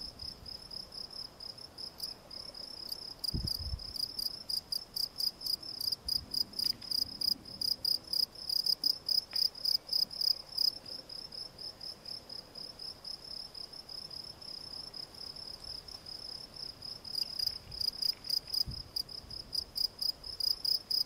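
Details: Field cricket, Gryllus campestris, singing a steady run of short shrill chirps, about three to four per second, fading softer midway before rising again; a few dull low thumps in the background.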